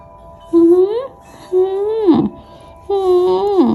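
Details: Vocal Bengal cat making weird sounds indoors: three drawn-out meows, each holding a steady tone then bending upward or sliding down at the end, with a harmonic-rich, talkative quality, separated by short pauses.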